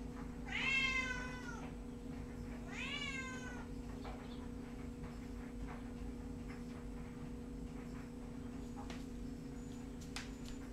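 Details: Pet cat indoors giving two drawn-out wavering meows close together, then quiet apart from faint clicks over a steady low hum.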